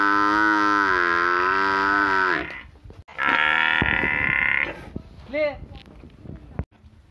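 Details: A village cow gives a long, loud, rich moo lasting over two seconds, then a second harsh bellow. Brief voice-like sounds and a click follow.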